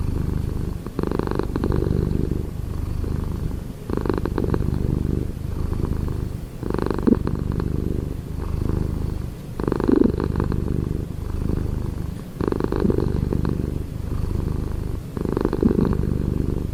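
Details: Close, loud purring of a domestic cat, a low continuous rumble rising and falling with each breath roughly every three seconds, steady throughout with no other sounds.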